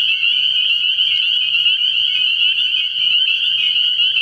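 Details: Spring peepers chorusing at a frog pond at night early in the year: a dense, unbroken wall of high, piercing peeps that overlap into a steady shrill ringing, with a faint low hum underneath.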